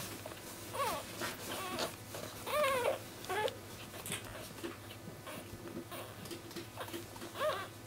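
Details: Basenji puppies from litter B in their first week of life. Thin, high whining cries bend up and down in pitch, with several short wavering squeals and a longer warbling whimper, over a constant low background hum.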